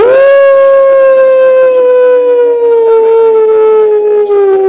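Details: Hound dog howling at wolves: one long sustained howl, starting with a quick rise then slowly sliding lower over nearly five seconds, rich in overtones, loud and steady throughout.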